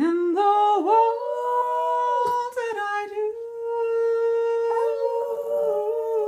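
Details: Sandy, a female pet dog, howls along to Patsy Cline's "Crazy", one of her favourite songs: long, sustained, tonal notes that step and slide between pitches, richly harmonic, held almost without break over the music.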